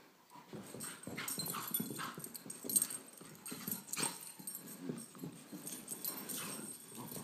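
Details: A 17-month-old Beagle mix and a 10-month-old Great Pyrenees playing indoors. A rapid jumble of short rough grunts and growls comes with scuffling, thumping movement noises throughout.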